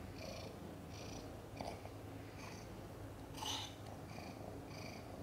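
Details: Purring from mother cat Chan while delivering five kittens, a hard birth with kittens arriving backwards; a low continuous rumble broken by hissy breath bursts recurring roughly twice a second, one louder burst midway, over a faint indoor hum.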